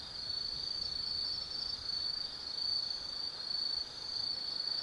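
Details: Forest insects on an autumn night at the Tsukimi no Mori lookout in Kaizu, Gifu, Japan: a continuous thin, high buzzing trill pulsing softly in strength over a few seconds.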